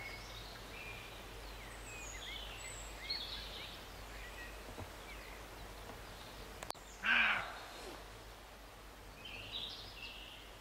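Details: Roe deer barking near Morpeth, Northumberland, in August 2012: one loud, harsh bark stands out midway against a quiet rural background, with faint scattered bird chirps before and after it.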